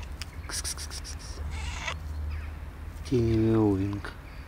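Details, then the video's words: Calico cat alongside a gray cat, giving one short, tiny meow that rises then falls, about a second long, after rustling and brief hiss-like noises; steady low hum in the background. "Calico cat tiny meow with gray cat"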